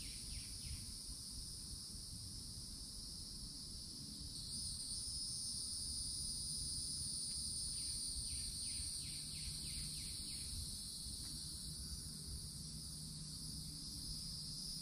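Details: Cicadas at a Florida forest edge in summer hold a steady, high, shimmering drone that runs on without a break.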